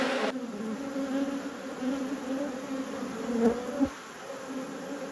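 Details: Honey bees in a beekeeper's apiary during a hive inspection, colonies at peak production; a steady, even drone with a low fundamental and a clear overtone runs throughout, with a brief louder swell near the end.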